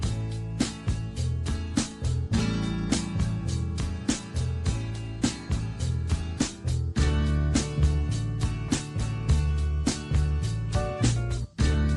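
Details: Strummed country-style guitar music plays steadily, with no animal sound heard.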